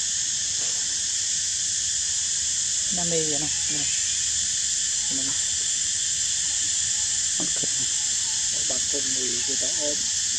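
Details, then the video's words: Nine-day-old baby monkey Edison, lively and alert in a park, makes scattered brief squealing calls, some rising and falling, under a constant loud high hiss. "Edison baby so so alerted & energetic / Nine days of birth baby Edison seems better"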